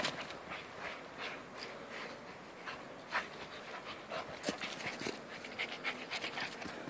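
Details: Two dogs, Jack and Bobby, playing outdoors in a snowstorm; rapid breathy panting bursts of airy noise, denser and louder toward the end, with soft scuffing sounds in between.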